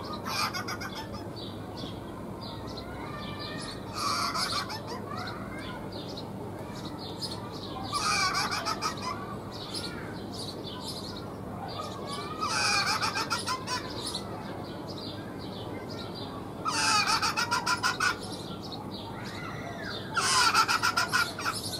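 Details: A rock hyrax (Procavia capensis) sings in harsh, chattering bursts that return about every four seconds.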